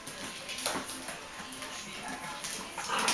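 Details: Young Bichon Frisé puppies aged five weeks and two days, five together at a Vejle kennel in Denmark, utter soft, nasal whines repeated in quick succession over steady clicking and shuffling of paws indoors.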